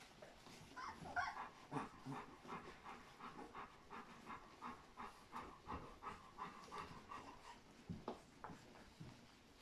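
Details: Fourteen 3-week-old Golden Retriever puppies from a single litter, raised by their mother, make soft, rapid, panting-like sounds and small squeaks, repeated almost three times a second.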